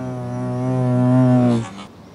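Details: Hornets in an old tree, recorded with a Sony HDR-AS15 camera: a low, steady droning hum with rich overtones swells for about a second and a half as one passes close, then drops away abruptly.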